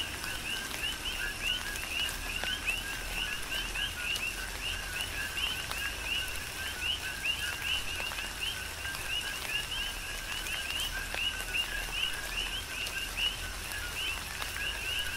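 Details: Many coquis chorusing during a tropical rain shower on Hawaii's Big Island, dense repeated 'co-qui' chirps stepping up from a low to a higher whistled note, over constant rain patter and occasional louder drips.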